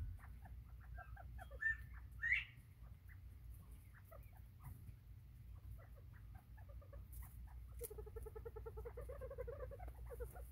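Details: Bobwhite quail recorded on 24 September 2023: two sharp rising whistled notes early on, scattered soft chips, then a rapid run of evenly spaced mid-pitched clucking notes near the end, over a steady low hum.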